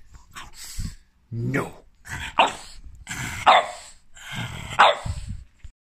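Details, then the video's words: French bulldog objecting to profanities with five loud, strained, yelping barks, each bending upward in pitch, roughly one per second, separated by short pauses with low huffing sounds between them. "French bulldog doesn’t like profanities"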